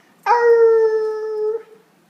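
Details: Female Basenji, a year and a half old, recorded indoors in November 2013, vocalizing or 'speaking' when urged to talk: one smooth, sustained, tonal note of about 1.3 seconds. The note is rich in overtones, holds a nearly level pitch and ends with a slight dip.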